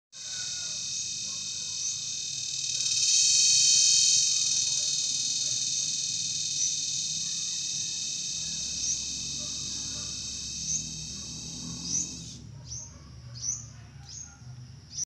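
A dense, high-pitched insect drone holds steady for most of the recording, shimmering like a continuous electric whine. Near the end it gives way to separate sharp chirps repeated every second or so.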